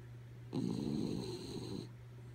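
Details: Asleep, the dog Kaya Boo lets out a single raspy snore of just over a second, a harsh breathy drone, with a constant low hum in the background.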